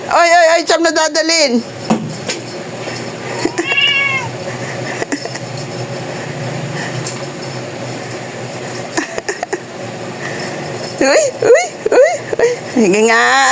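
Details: Domestic cat meowing repeatedly: a loud wavering meow at the start, a short rising call near four seconds, then a burst of several quick, warbling meows toward the end, with quieter rustling and household noise between.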